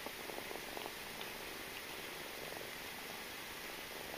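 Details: Kitten Malika suckling from her mother Jamila indoors; a soft, steady purr of fine rapid pulses runs through the clip, quiet and low, with faint hiss in the background.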